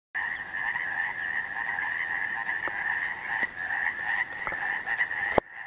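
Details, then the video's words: Frogs croaking at Cavitt Lake: a dense, continuous chorus of many overlapping calls forming a steady trilling band, with a lower pulsing layer beneath and a few sharp clicks near the end. "frogs croaking"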